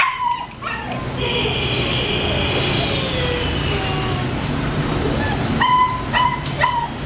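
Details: A female Rottweiler puppy gives high, thin whimpers and short yips over a steady background hiss.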